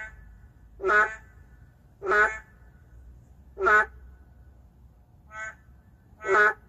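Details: A boreal digging frog, an endangered species calling in the city, gives short, nasal, bleating calls, repeated roughly every second and a half.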